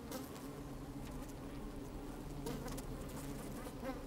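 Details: Honey bees moving about inside an opened hive on a fine, sunny day give a thick, unbroken low hum with faint higher buzzing overtones and light rustling clicks.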